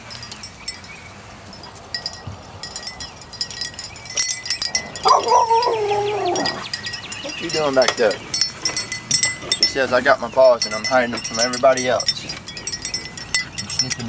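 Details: Biscuit Bentley puppies at playtime giving a run of high, wavering whines and yelps that rise and fall in short bursts, with tinkling chimes and human voices around them.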